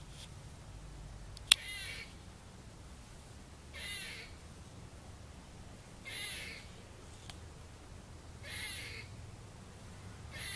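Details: A squirrel up in a tree in a trailer park on Tuesday, December 30, 2014, gives harsh, raspy calls, each a short burst repeated about every two seconds.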